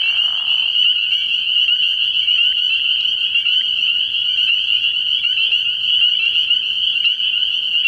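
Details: Spring peepers calling at night from a frog pond early in the year, a dense chorus of high, piercing peeps merging into a continuous shrill band, with a brief softer lower sound at the very start.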